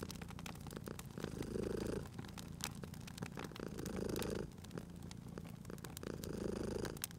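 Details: Domestic cat purring beside a crackling fireplace in a cozy, relaxing scene; a low rumbling purr swells in breathy pulses about every two and a half seconds, with sharp fire crackles and pops snapping throughout.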